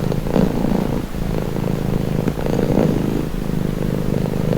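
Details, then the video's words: Steady, close domestic cat purring, low and rumbling, in slow swelling cycles of breathing in and out over a few seconds, with no other sounds. "Purring cat | Calming Relaxing Nature Sound"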